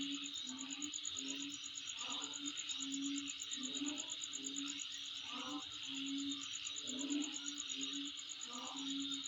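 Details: A high insect trill runs without a break, rapid regular pulses above a wide buzzing hiss, while a low humming tone and brief scattered calls come and go underneath.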